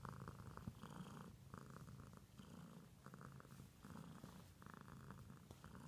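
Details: Pet cat purring steadily, a low rumbling drone with brighter pulsed bursts swelling and fading roughly every second as breaths alternate, continuous throughout with no other clear sounds.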